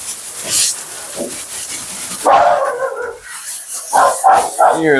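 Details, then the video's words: Talkative female Siberian Husky during her bath at a grooming session: wavering, moaning yowls and whines break out midway, mixed with a woman's voice and running water. "Talking Husky"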